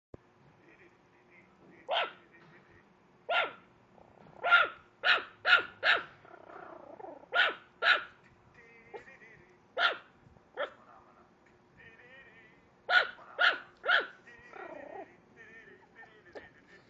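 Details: ['Female Chihuahua, protective and jealous, barking at a computer screen: sharp high yapping barks, mostly single, with quick bursts of three around five and thirteen seconds, plus faint whiny tonal sounds between barks.']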